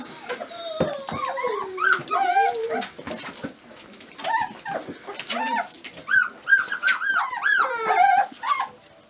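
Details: Twenty-five-day-old Dobermann puppies whimpering continuously: overlapping thin, arching squeals and yips, some long and wavering, others short, with busy clicks and rustling between calls.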